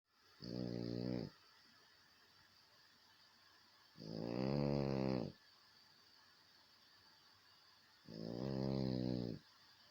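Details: French Bulldog snoring indoors: three low, harmonic, rasping snores, each about a second long, coming roughly every four seconds with quiet pauses between them.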